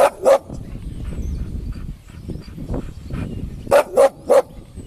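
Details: Bull Terriers in a fight give two quick sharp barks at the start, then a burst of three barks near the end, with low thumping and scuffling between them.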